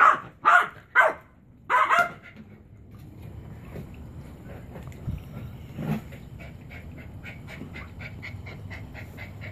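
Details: Chihuahua named Beau, a pet dog indoors, trying to get his favorite frisbee off a chair: four sharp barks in the first two seconds, then quieter rustling and shuffling with faint clicks.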